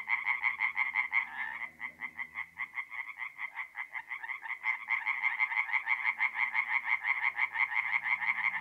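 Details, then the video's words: Tree frogs singing by night at a forest pond in north-east Italy in mid-April; loud, regular quick croaks, about three per second, one caller clear over others, with a brief lull near two seconds. "relaxing forest pond by night with singing tree frogs"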